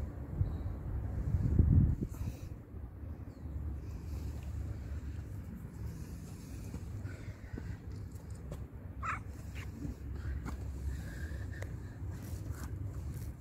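A female cat in heat gives a low, drawn-out yowl over a steady background rumble.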